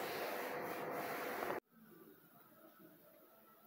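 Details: Broadband rubbing or scraping noise for about a second and a half, then a sudden drop to a faint room hum with no animal voice.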